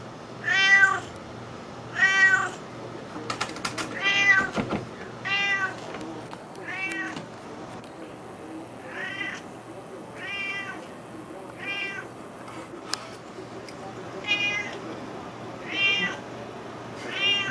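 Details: Juniper, a domestic cat, meowing nonstop after smelling salmon being cut up, wanting food; loud harmonic meows repeated roughly every one to two seconds, about a dozen in all, with a few knocks and clatter from the kitchen.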